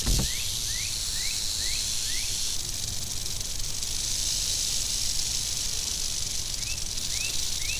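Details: Unbroken high buzzing rattle comes from an angry western diamondback rattlesnake. A brief thump opens the recording, and a series of quick rising chirps sounds behind it early on and again near the end.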